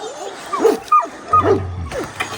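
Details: Kangal dog taken out into wolf territory; a loud series of short, arched, tonal barks and yelps, roughly four or five in quick succession, with a low engine-like hum beneath and a man calling nearby.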